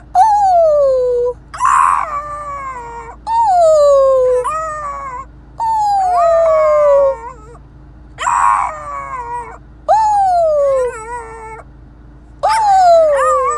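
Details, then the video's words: A French Bulldog puppy objects to staying in his new car seat, repeating loud descending howl-whines about every one to two seconds, some breaking into rough, strained cries, over a constant low car hum. "French Bulldog puppy doesn't want to stay in his new car seat!"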